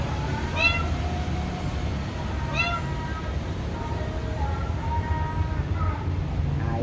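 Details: Cats said to be wild and wary of the person: two distinct drawn-out meows two seconds apart, then softer calls, with faint speech and a low background rumble.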